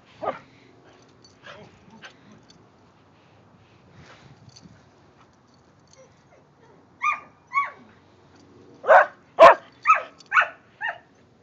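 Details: Kerry Blue Terriers Quinn and silver Keely, a social dog eager to play, with the next-door dog: soft scattered noises give way to sharp yapping barks from the seventh second, clustering into about six loud, quick barks near the end.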